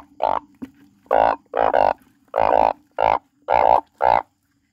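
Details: A frog crying loudly: seven rich, nasal, bleating croaks, several doubled into quick pairs, delivered about twice per second against a low steady hum.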